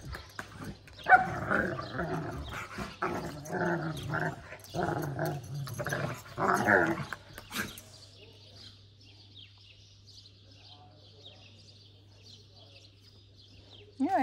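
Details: Eight-month-old Kangal puppy in Alanya, Antalya, Türkiye, on 11 May 2024: a run of deep, rough barks and growls over about seven seconds, then a quiet stretch with a faint high background hiss.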